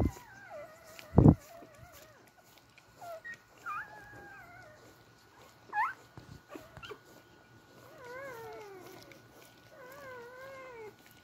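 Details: Several Beagle puppies searching for their mother to nurse, letting out high, quavering whines that slide downward, some short and sharp, one long falling cry near the end, with soft thumps and shuffling.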